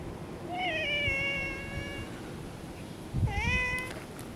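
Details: Orange tabby cat, one of three brothers living in a park where cats feud, acting like rowdy kittens while rummaging through a bag; two clear meows, a long drawn-out wavering one then a shorter rising one, with faint rustling.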